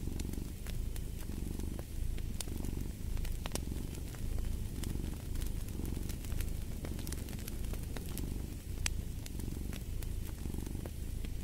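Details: Steady low rumble of a purring cat, pulsing with each breath every second or so, accompanied by frequent crackling and snapping of a fire in a fireplace.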